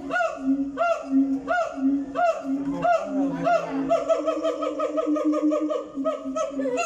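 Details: A siamang in a zoo gives loud, rising whoops repeated in a steady rhythm, over a lower sustained hooting tone.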